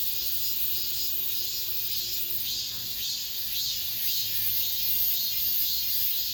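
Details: Last cicada chorus of the summer in an apartment complex: a shrill, continuous buzz that swells and fades in soft pulses about twice a second, with a low steady hum below.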